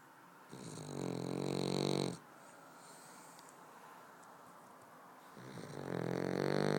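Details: Snoring Boston Terrier during sleep: two long rattling inhaled snores about four seconds apart, separated by soft breathing in a quiet room.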